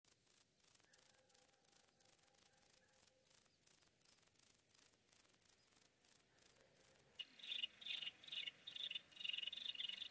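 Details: Grey bush-cricket recorded at Mörnsheim, Germany, on 12 August 2021 with an ultrasound detector. It sings a high, hissing chirp about every third of a second, steady and repeated, and a lower rasping layer joins midway.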